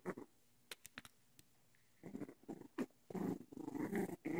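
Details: Young dogs playing with each other and with dog toys indoors; short bursts of low rough growling and grumbling, broken by quiet clicks and scuffles, building into a sustained growl toward the end.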